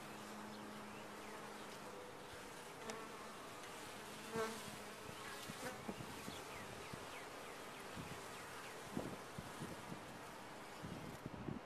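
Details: Honey bees in a top-bar hive giving a continuous colony hum, broken by scattered sharp clicks and knocks and brief louder passes of single bees near the end.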